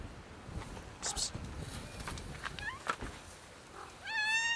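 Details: Domestic she-cat reacting to being touched with strange vocal noises; a few small upturned chirps, then a loud, clear, drawn-out meow at the end, with rustling and clicks in the background.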